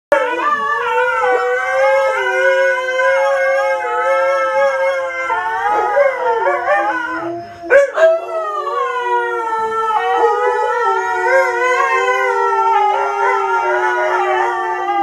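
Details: Pet dogs, a Labrador Retriever and a Siberian Husky, the Labrador led astray into copying the Husky: long, wavering, tonal howls that slide up and down, held for several seconds each, with a brief break near the middle.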